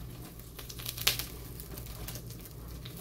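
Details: Brief crinkling and rustling in a small indoor room, with one sharp tap and no animal voice.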